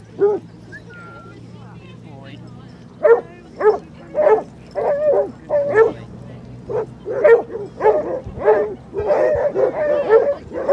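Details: Basset Hounds on a group walk of 37 dogs covering four miles along Exmouth beach, the club's 91st outing; after a quiet start, a run of loud, deep barks repeats roughly twice a second, with people talking faintly behind.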